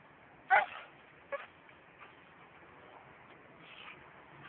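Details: Dana, an American Staffordshire Terrier, gives one sharp bark followed by a shorter second bark, then only faint low noise.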